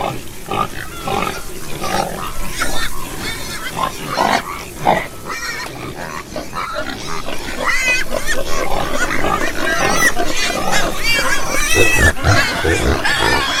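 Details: A group of farm pigs: rapid, rough grunts repeated about twice a second, mixed with short rising squeals and whines, growing denser and louder toward the end.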